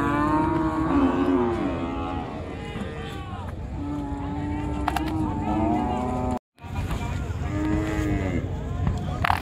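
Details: Cattle unloading from the river side at a crowded village cattle market; a series of moos from several animals, some level and some bending in pitch, a brief silent gap, amid dense chatter and clatter.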